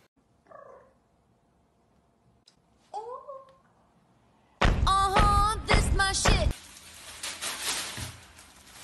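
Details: Shorthair Maine Coon cat giving two soft, faint meows early on, then a loud burst of strained, harmonic-rich yowling lasting about two seconds, followed by rustling noise.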